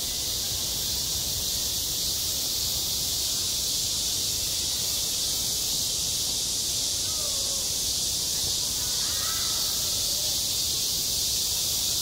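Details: High-summer cicadas on a school sports ground make a constant shrill buzzing wash, and a few faint short calls from another bird show through briefly near the middle and later.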